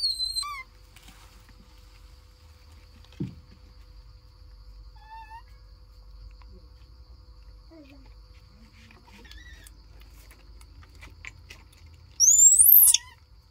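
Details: Dorn and Dum, baby monkeys, give scattered soft falling whistles and squeaks across a mostly quiet stretch, ending in a loud, shrill rising scream lasting about a second.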